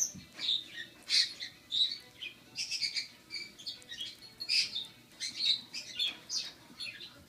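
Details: Baby squirrel Rocky, rescued and six weeks old, still fed formula every four hours, tries his first carrot; shrill squeaky chirps repeat in quick, rhythmic bursts throughout.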